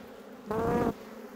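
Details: Western honey bee buzzing at a hive during an inspection of frames: a short, loud droning buzz of under half a second, fairly steady in pitch, set against a quiet background hum.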